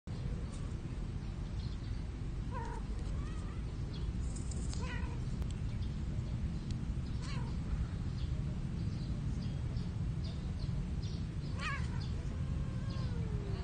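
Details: Shy cats mating, hidden among plants in a park where cats are fed; several short wavering meows rise and fall at intervals over a steady low rumble of background noise, with faint high chirps scattered throughout.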